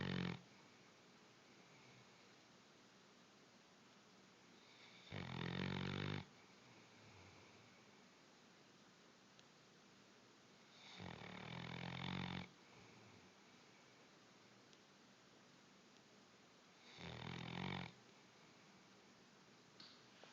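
A Bloodhound snores in loud, rasping bursts about every six seconds, with quiet breathing between.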